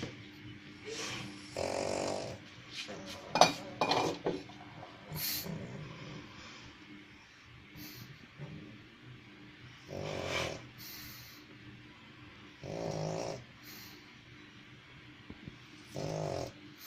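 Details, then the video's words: Pug snoring indoors in rough breathy bursts spaced several seconds apart, each a low, raspy rumble with broad hiss above, with quieter breathing and faint human speech between bursts. "Как храпит МОПС"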